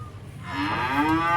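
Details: Black sacrificial cattle coming down off a truck in Indonesia: a short moo rising into a strong harmonic bellow over low engine rumble.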